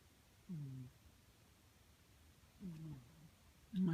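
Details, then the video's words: A pet cat snoring indoors: two soft, low, slightly falling tonal snores about two seconds apart, over a quiet room hum, followed by a person speaking. "My cat is snoring"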